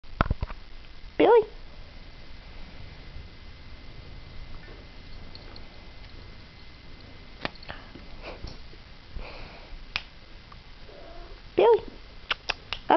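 A Siamese cat gives two short, clear meows, asking to be petted.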